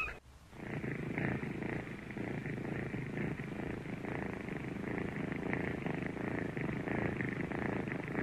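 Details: Kitten purring steadily for about eight seconds: a continuous low rumbling purr with a faint raspy band higher up, starting after a brief quiet moment, in a quiet indoor setting.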